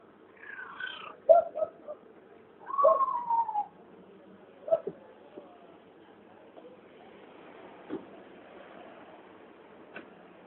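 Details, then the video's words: A found cat making strange noises gives a few short, bent, moaning cries and chirps in the first seconds, followed by quiet with occasional faint taps and clicks. "Cat making weird noises"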